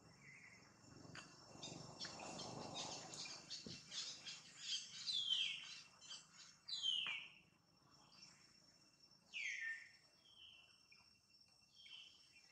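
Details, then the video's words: Pregnant mother monkey named Jane gives high, sharp squeals that slide downward, several spaced across the stretch, over a soft background murmur and light clicks. "MONKEY SOUND"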